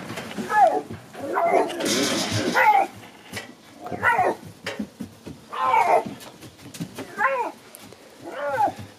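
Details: Captive-born Siberian lynx in the morning gives a run of wavering, nasal mewing calls, each rising then falling, about every one to two seconds, over people talking in Russian.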